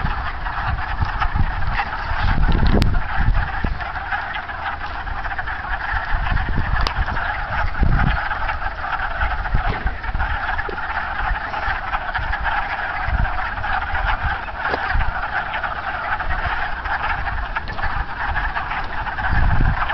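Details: Springtime wood frogs at a pond in March: an unbroken, duck-like chorus of overlapping clucks forms a steady mid-range texture, with occasional low thumps and a couple of brief clicks.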